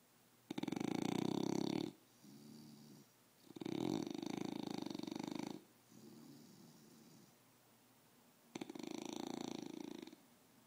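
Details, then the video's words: English bulldog with a cone on its head, snoring: three long, loud, rasping harsh breaths, each about one to two seconds, spaced roughly every three to four seconds, with softer buzzy breaths between them. The background is otherwise quiet. "Snoring english bulldog"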